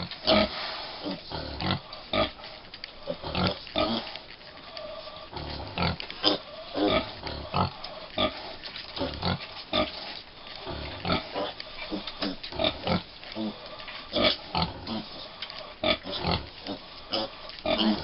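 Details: Busy breakfast for 5-week-old American Guinea Hog piglets with two mother pigs at Wood Prairie Family Farm. Steady choppy grunts and occasional thin squeals repeat about every half second in a continuous farmyard chorus.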